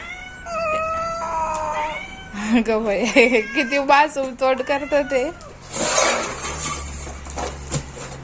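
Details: Domestic cat calling in long steady meows, then a rapid run of short wavering yowls, followed by rustling noise and a low hum toward the end.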